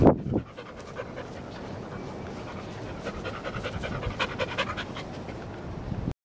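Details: English Springer Spaniel rolling on grass after a shampoo, with rapid, breathy panting repeated steadily over a rustling, scraping background.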